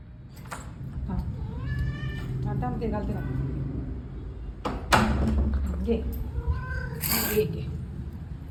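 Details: A neighbour's domestic cat at the door, meowing while a woman talks to it and feeds it chicken; several drawn-out, wavering meows come in bursts, mixed with her continuous Marathi chatter and a few sharp thumps.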